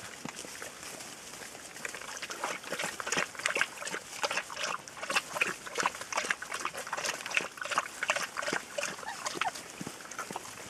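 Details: A litter of ten Rhodesian Ridgeback puppies from the female Ridja, hungry around feeding time, give a dense run of short, high squeaks and whines, several each second, over a steady background hiss.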